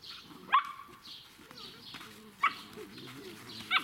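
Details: Seven-week-old Irish Setter puppies from the S litter of the Altheimer Herrenwiesen kennel give three sharp, high yelping barks about a second or more apart, with softer whining and rustling between them.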